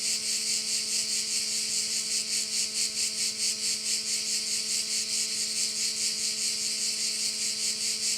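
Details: Along one of Korčula's bays, crickets keep up an unbroken shrill buzzing with a regular pulsing throb of roughly 140 beats per minute; a soft steady hum sits low in the background.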